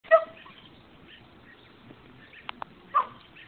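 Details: An 11-month-old Siberian Husky, taunted by a cat on a fence that hates dogs, gives two short, sharp barks separated by a few seconds of quiet.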